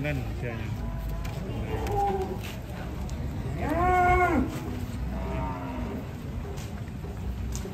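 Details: Jumbo cow, four years old, once weighing one ton, at a market after foot-and-mouth disease, gives a loud drawn-out moo rising and falling around the fourth second, then a softer second low, then a softer second moo, with people talking and crowd noise throughout.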